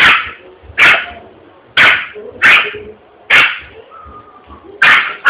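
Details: Frightened Yorkshire Terrier in a shopping area of Vitória da Conquista, Brazil, after a balloon bursts: sharp high yapping barks, six in about five seconds at uneven intervals.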